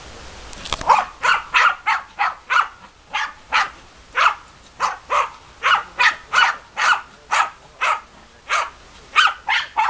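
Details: German Hunting Terriers Bagira and Cox von der Fuchskralle barking in a fast, steady run of sharp, bright barks, roughly two each second, continuing for the whole stretch with a harsh burst at the start.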